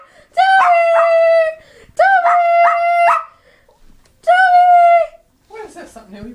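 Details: Toby, a pet dog, gives a sound its owner finds very annoying: three long, steady, harmonic howls with wavering middles, about one second each, followed by a short rough noise, indoors in a small room.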